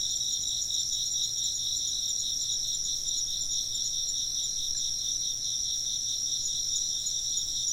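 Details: Continuous insect chirping: several shrill, evenly pulsed trills stack into bright high bands that hold level for the whole stretch, with a quiet low hum underneath and nothing else standing out.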